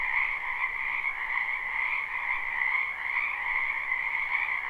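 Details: Frogs in a spring wetland behind a home, recorded live and unlooped, keep up a seamless chorus of fast, rattling croaks in two high bands, quite even throughout, with faint background hiss.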